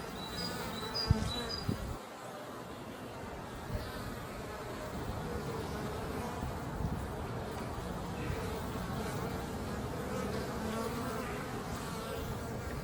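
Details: Honey bees arriving at the beehive laden with pollen, producing an unbroken, rough buzzing drone. A brief thump comes near the start and a few faint high chirps follow early on.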